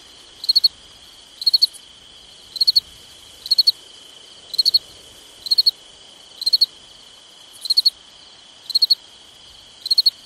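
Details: On a summer night, crickets give regular triple-pulsed high chirps close to once per second, backed by a steady shrill trill and otherwise quiet surroundings.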